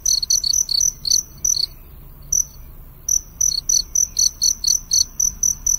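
A cricket chirps in quick, shrill pulses, high and metallic, with one brief pause midway.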